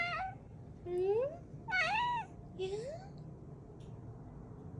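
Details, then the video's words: Pet cat whose crying is said to sound like a chick's peeping. Four short meows, each rising then falling, a few at a higher, thinner pitch. A person speaks softly in a quiet room. "우리 야옹이는 혹시 삐약이실까요? 울음소리 들으면 혼란이…"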